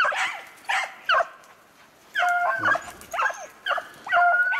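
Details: Beagles on a snowshoe hare hunt, February 25, 2016, give repeated short ringing bays in quick bursts with brief gaps, several voices overlapping in an open outdoor setting.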